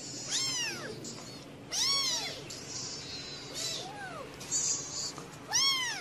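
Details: Cats on the fourth day of a mother cat caring for her babies: high-pitched arched mews, four drawn-out calls spaced about one and a half seconds apart, each rising then falling, over a quiet steady background hum.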